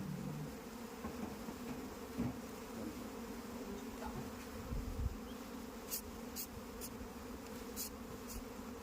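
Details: Dense, even drone of a mass of honey bees kept on a beekeeping farm in India, with several bright clicks near the end.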